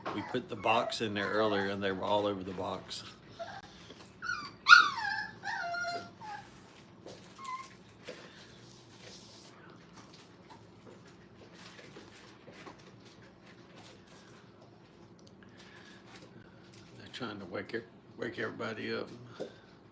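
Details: Playing Brittany puppies, five weeks old, in a training kennel room: a loud harmonic growling whine opens, then sharp descending yelps, a long quiet stretch, and a renewed flurry of squeaky whines near the end.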